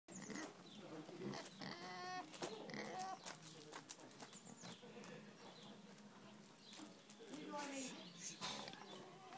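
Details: A female Vietnamese pot-bellied pig that spends all day with a hen mimics the hens' clucking in quick grunts, several a second, rising and falling like a hen's chatter, with people talking over it.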